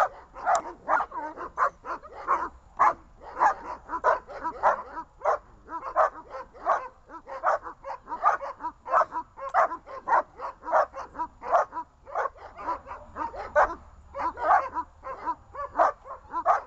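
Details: Three leashed dogs, Glemmy, Fela and Rey, keep up a long, frantic volley of shrill barks and yips, densely packed and barely pausing, several voices overlapping throughout.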